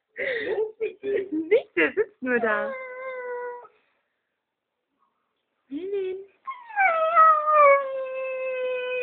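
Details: Dogo Argentino dog howling: two long, steady, smoothly falling tonal howls, the second held for several seconds, preceded by a woman speaking Spanish.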